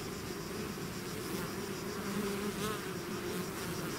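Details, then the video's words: Brief stretch of a bee swarm emerging from its hive: continuous low humming buzz with a few close passing whines. "bees therapy swarm natural buzzing sound"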